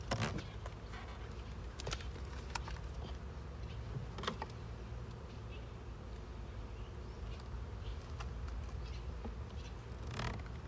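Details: Honey bees inside a kept hive during a honey harvest, giving a steady low droning hum throughout, with scattered sharp clicks and knocks from hive handling.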